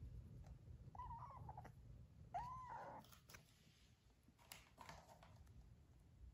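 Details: Indoors, foster kittens give two short, faint meows a little over a second apart. Each one rises and then falls, set against quiet room noise and soft rustling.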